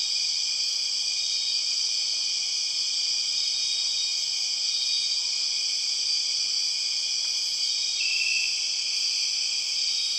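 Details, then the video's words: Bornean rainforest empress cicadas, called 6 o'clock cicadas: an intense, steady, shrill whine of layered high tones, constant throughout, with a brief brighter tone rising near the end over a dense insect backdrop. "The weird sound of empress cicadas"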